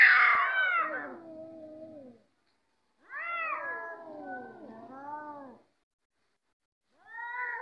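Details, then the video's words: Domestic cats fighting: long wavering yowls with rising and falling harmonics, each drawn out for two to three seconds, separated by brief silences. "Cats are Fighting || Cats are Taking|| Cats are ready to Fight"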